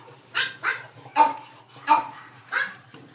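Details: Boston Terrier puppy born on May 3, sleeping soundly, giving five short soft whimpering yips about every half second to second, breathy and high, in a quiet room.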